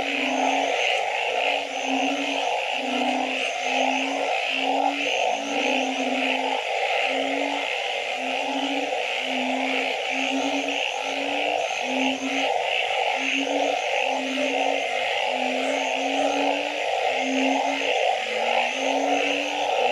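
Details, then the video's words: Dense nocturnal wetland chorus of frogs: rapid series of short low hoots from several callers, over continuous buzzing and faint high chirps. "Nighttime Frog Symphony"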